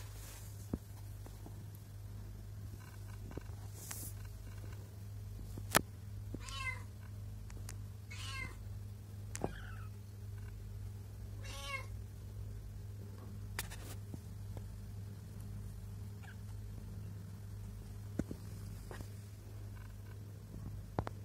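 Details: Domestic cat setting, a pregnant mother with two kittens: a handful of short, nasal meows, some slightly rising, cluster mid-recording, separated by quiet gaps, over a steady low electrical hum and scattered sharp clicks.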